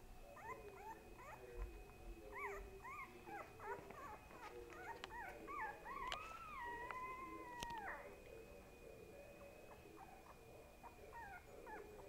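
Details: Little pet dog Boo Boo vocalizing: a rapid run of short, bending whiny yips for several seconds, then one drawn-out steady howl that drops at its end, with quieter whimpers afterward and a faint constant electronic tone behind.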